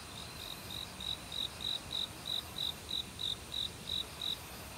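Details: Autumn cricket calling at night in a Korean forest, among other insects: clear, evenly spaced high chirps about three per second, each a short pulsed burst, over a steady hiss of stream water.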